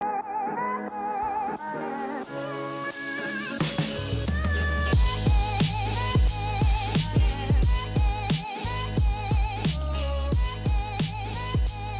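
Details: Pop-style music with a steady beat and melodic layers fills the recording, and no animal sounds are heard.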